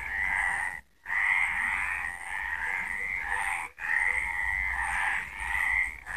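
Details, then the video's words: Night chorus of frogs at Villa del Campo, Extremadura: many overlapping grating, pulsed croaks merge into a steady buzzing wall of sound, interrupted twice by brief sudden gaps. "De noche cantan las Ranas"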